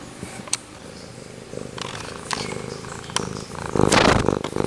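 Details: Domestic cat purring and meowing very close to the recorder indoors; a low steady purr rumbles throughout, with a louder burst of meowing near the end and brief clicks and rustles.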